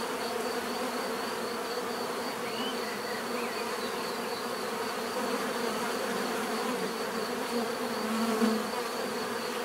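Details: Natural bee buzzing fills the scene: a continuous layered hum of many bees, level and unchanging, with a high thin tone running over it and a slight swell near the end.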